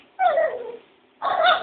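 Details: Female dog upset that a puppy was given a bone and she was not, answering her owner with two loud whining yelps, each wavering and bending downward, separated by a short pause.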